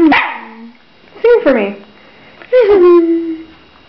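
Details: Chatty pet dog that gets talkative when looked at and talked to or when someone eats nearby; three drawn-out, bending howl-like yodels, each sliding down into a sustained low moan, loud against a quiet room.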